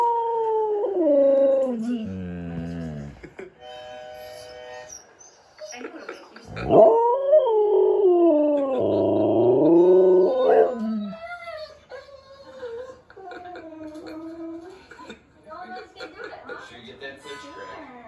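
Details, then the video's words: Siberian Husky howling along with talking dogs playing on a screen: long, wavering, falling howls, a few stacked steady tones, then a loud sliding howl mid-clip, over background music and a person's surprised exclamations. "Husky Howls to the Talking Dogs on YouTube"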